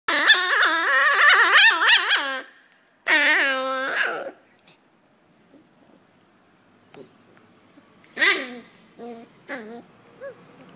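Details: Poodle in China giving a rapid run of high, wavering whines and yelps for about two seconds, then a second burst of whining, followed by quiet and a few scattered short yips.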